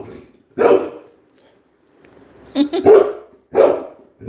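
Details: Labrador Retriever barking in short, harsh bursts: one bark early, a brief voice-like sound in the middle, then another bark about three seconds after the first.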